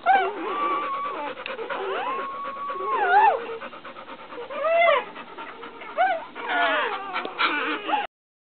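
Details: Just-born female puppy whimpering while being licked by her mother Brandy, a white dog; a long level whine, then several rising-and-falling squeals, with licking and rustling noises between the cries.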